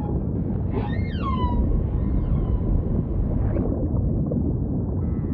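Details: One humpback whale unit: a sharp downward-sliding cry with layered overtones drops from high to mid pitch and fades, set against continuous heavy low-frequency water noise.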